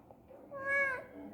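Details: A single rising-then-falling meow from a pet cat, fairly quiet, beginning soft and swelling in the middle, with a Tamil-speaking person talking to it just before and after.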